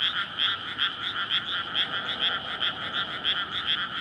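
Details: Courting frogs chorus after water floods a rice paddy in May, recorded at night on a portable PCM recorder; loud, harsh pulsed croaks beat roughly twice a second in overlapping waves, steady throughout.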